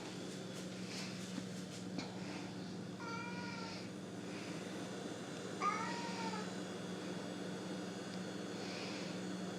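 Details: Pet cat in a house, annoyed after its owner sprayed bug spray on insects outside, makes two short wavering meows about three seconds apart over a steady low hum and background noise.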